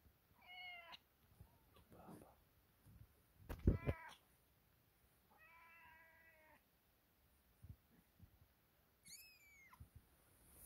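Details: Kitten Sofia and littermates greeting the morning with scattered high, thin mews: a quick cry early on, a drawn-out wavering meow mid-way, and a very high squeaky call near the end, separated by quiet gaps and one loud thump.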